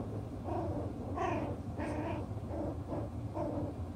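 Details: Chocolate brown Toy Poodle puppies, six weeks old, at play and working out their pecking order; a few short, tonal whimpers and squeaky yelps rise and fall over a low background hum.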